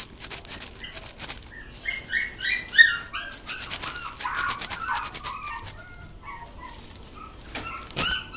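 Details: Mame Shiba giving a busy run of short, high, whiny yips and whimpers, some bending up and others sliding down, at times overlapping, thinning out and growing quieter in the last seconds before one sharp final squeal.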